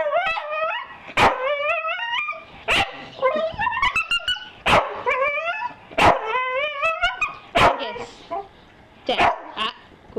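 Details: Staffordshire Bull Terrier offered breakfast, giving long wavering whines that rise and fall in pitch, broken by sharp barks roughly every one to two seconds, with a trailing voice at the end.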